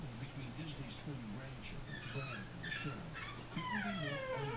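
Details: A 4-week-old male French Bulldog puppy, unhappy while learning to walk, whimpers with high, falling whines as a person encourages him softly.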